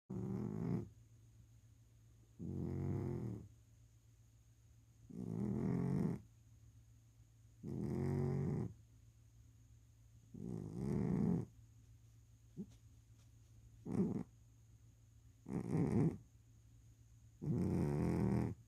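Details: A sleeping domestic cat snoring; low rasping breaths, each lasting about one to one and a half seconds, repeated every two to two and a half seconds, with a faint steady hum in the background.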